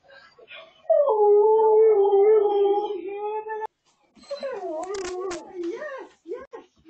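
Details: A husky cries with joy as its owner nears home, caught on a hidden camera indoors: a long, level howl for nearly three seconds, a pause, then a wavering, rising-and-falling whine-howl with scraping noises.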